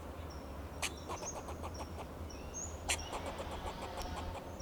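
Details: Alarm calls from a fox squirrel in a Monterey pine, Del Monte Forest, California, defending itself and its territory: a sharp bark opens each burst of fast, rattling chuck notes, with high whistling birds and a low engine rumble behind.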